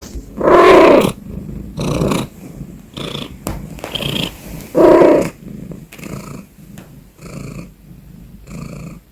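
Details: Domestic cat purring loudly, a deep rumbling that swells and fades in breath-long cycles, with two especially strong, rough bursts early and midway and softer rhythmic pulses between.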